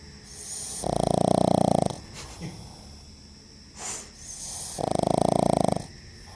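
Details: Mati, a pet pug, snoring while asleep: two long, rattling, buzzy snores about four seconds apart, each lasting around a second, with soft breathing between them.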